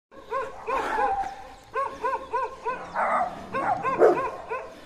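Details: Dogs bark in sharp, ringing bursts, some quick and doubled, others rougher and overlapping, as two large territorial dogs try to intimidate a leashed German Shepherd on a walk while it holds its ground.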